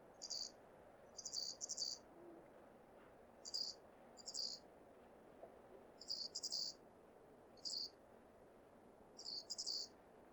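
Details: A male flying squirrel in Hokkaido gives high, thin chirps in short irregular bursts, some doubled, over a quiet background. This is a breeding-season call to attract females; part of the recording is pitched down by half.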